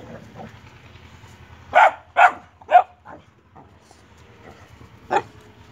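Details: Playful Boxer dogs, a puppy with an adult, giving a quick burst of three loud barks about half a second apart, a few softer yips, then one more bark after a pause.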